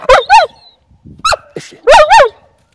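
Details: Dog in training in Ostrata, Zlín, Moravia, Czech Republic, learning to bark on command, a cue meant for greeting another person: two pairs of short, sharp, harmonic barks in quick succession, with a quiet gap between the pairs.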